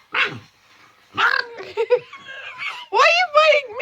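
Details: Pet dog, male, making his normal playing noises while protective of his sick owner; a series of short whining, yowling vocal bursts with bending tones, broken by brief pauses, indoors.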